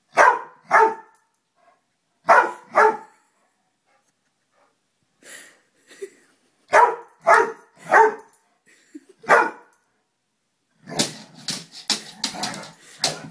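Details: A dog barking at a moth: sharp, clipped barks in pairs and singles with short pauses, about nine in all, ending in a burst of scuffling, rustling noise.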